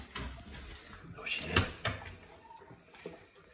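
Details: Indoor clatter of a door sliding and thumping, with a brief murmur of speech, in a small room; no animal sound stands out.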